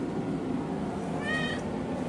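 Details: Pet cat asking for something, perhaps food, water or a toy: one brief rising-falling harmonic meow in the middle of the clip over a constant low hum, followed by a person's voice.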